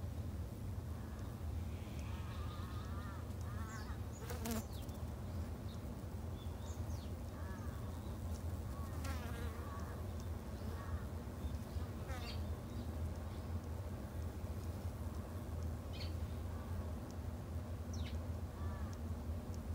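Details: Garden-kept Japanese honey bees produce a dense, steady low hum, layered with a higher droning tone and repeated short wavering whines and clicks as many bees fly in and out close by.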